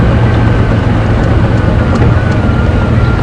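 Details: Steady low engine rumble of a vehicle, with a faint thin whine running through it and no animal calls.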